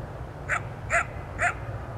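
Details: Coyote about 200 feet or more away at dusk, giving three short sharp barks about half a second apart over a steady low hum of digital noise.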